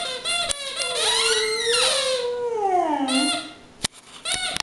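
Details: Mattie, a 4-year-old Boxer dog, singing her version of Frosty the Snowman indoors: a long, loud, sustained howl that wavers and slowly slides downward, broken by short yips and a couple of sharp clicks near the end.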